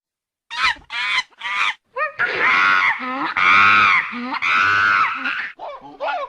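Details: A monkey gives an odd, unusual call: three short harsh cries, then long loud wavering screams with rich overtones, broken by brief rising squeals.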